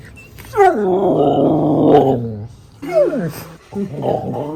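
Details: Happy dog howling 'arooo': a long, sliding, harmonic howl that starts higher and slowly drops over about two seconds, followed by a shorter swooping call and a final wavering yodel-like note, with no other notable sounds.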